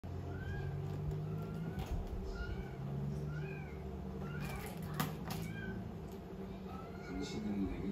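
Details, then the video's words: Calico kitten playing with a small ball, giving a series of short, thin, slightly rising meows spaced about a second apart, with faint Korean speech and low background hum. "Calico Kitten Playing With Small Ball"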